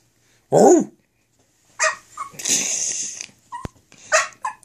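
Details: Indoor English Bulldog, upset at being left alone while her owners were in the office; one sharp arched yelp, a pause, then a noisy grumbling whine and brief yips, a person speaking between.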